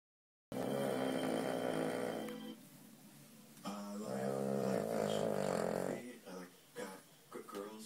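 A sleeping Cavalier King Charles Spaniel snores in long, rasping, droning breaths, with a brief human voice at the end.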